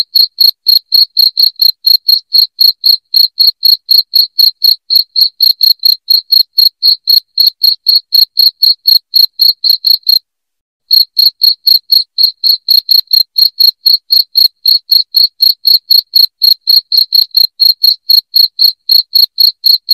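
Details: Shrill cricket chirps, meant to drive away rats in the house, pulse rapidly at roughly four per second. A brief silent break about halfway through interrupts the even rhythm before it resumes unchanged, with no other sounds.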